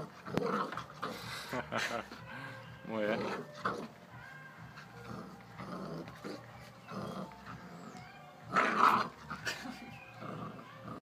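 A bull terrier puppy gives short whines and grumbling growls while people talk nearby.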